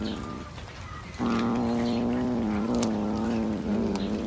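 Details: Cat giving a prolonged, steady moaning yowl that starts abruptly after a quieter moment and holds a low, even pitch with slight dips to the end.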